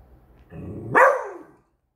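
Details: A pet Beagle on alert at a new squeaky toy, letting out a single ear-splitting bark that starts as a low rumbling growl and rises into a sharp, loud yelp before trailing off.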